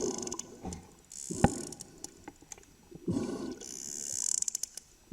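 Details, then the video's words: A sperm whale calf clicking at close range underwater, recorded by a swimmer in the water, not from a boat; sharp, broadband clicks in quick irregular bursts, loud enough to make the body vibrate. "This is a calf. This is what it looks like and sounds like to be clicked by a sperm whale calf."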